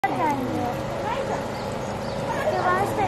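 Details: Japanese macaques (Macaca fuscata) at the Chikozan Park children's zoo in Japan, 12 March 2023, give clear, tonal coo calls that arc up and down, with several voices overlapping.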